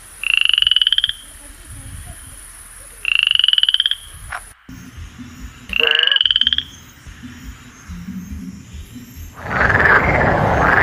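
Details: A frog in a forest gives loud, buzzy trilled calls, each about a second long, repeated every few seconds.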